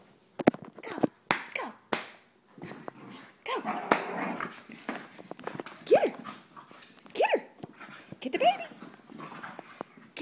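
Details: Soft Coated Wheaten Terriers Abbey and Zoey at play, egged on by an excited person, let out short arched yelping barks between scuffling clicks and thumps, with human voice shouting throughout.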